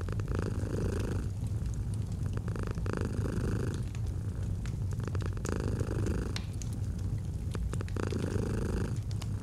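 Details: Soothing purr from a domestic cat by a fireplace, a deep unbroken rumble rising and falling in breath cycles about every one and a half to two seconds, dotted with crackling wood pops.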